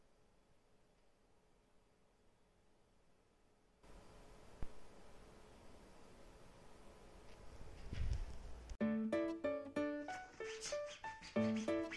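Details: Near-silent room tone gives way to a soft rising noise, then bright plucked ukulele music with a steady rhythm fills the last few seconds.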